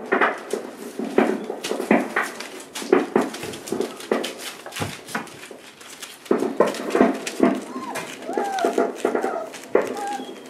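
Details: Four-week-old Boerboel pups with their mother Aston, indoors, teeth now in, playing with other dogs; irregular whimpers and short yelps, with thin rising-falling whines toward the end, over human voices and clattering movement.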